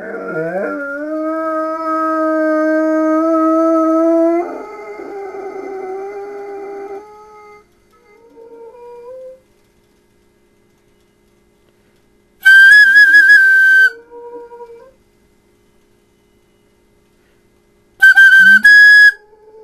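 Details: Large 100-pound male dog howling in a deep baritone; flutes, ambulances and coyotes set him off. A long, steady howl opens, falls away, then shorter howls follow. Loud shrill tonal bursts sound twice, each followed by a rising howl.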